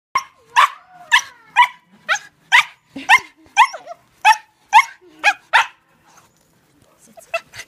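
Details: Excited dog on a leash greeting new people, giving a rapid run of about a dozen sharp barks roughly every half second, then a few faint yips after a pause.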